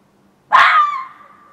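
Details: A fox in a back yard at about 1:15 am on 27 June 2013 gives a single harsh, loud call that trails off into a fading, mid-pitched tone.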